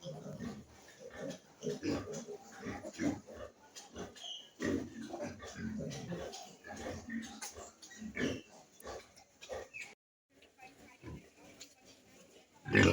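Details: Pigs on a farm breeding piglets give low, rough oinking grunts in uneven clusters, some louder snorts between quieter stretches, with faint human voices in the background.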